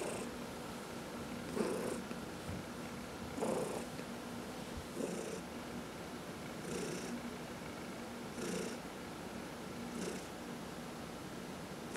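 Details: A pet cat, among four including elderly adopted cats Heidi and Dinah, purrs while massaged indoors; continuous soft low purr with gentle breathy surges near every one and a half seconds.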